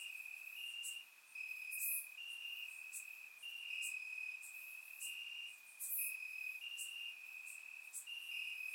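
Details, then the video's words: Chorus of crickets in the grass on a warm summer night in Bulgaria, surround-miked: continuous shrill trill with brief louder pulsed segments and occasional high ticking accents. "Cricket Sounds - Crickets Chirping at Night"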